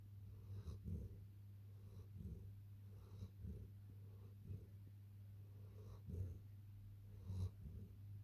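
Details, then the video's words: Long-coated German Shepherd puppy asleep and snoring softly. Low, breathy snorts recur roughly every second or so under a constant low electrical hum. "Long coat cute german shepherd puppy snoring"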